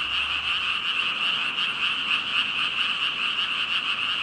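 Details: Thousands of frogs, about 5,000, calling together in a dense chorus; a continuous wall of overlapping croaks with a bright band of sound and faint pulsing, steady throughout with no other clear sounds.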